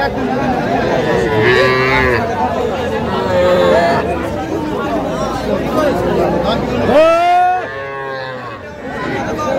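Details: Cattle at a busy market in Madaripur, Bangladesh, on 9 August 2025, where farmers buy small bulls and heifer calves: several drawn-out, wavering moos, the longest and loudest near the end, over constant crowd chatter and bargaining voices.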